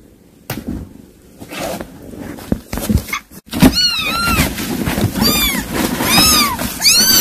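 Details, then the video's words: Cat from a scene of a mother cat calling her kittens: after thumps and rustling, a run of high arched meows with bright overtones, each under half a second, repeated about once a second to the end. "고양이 소리 / 아깽이 부르는 소리 / 아깽이 소리"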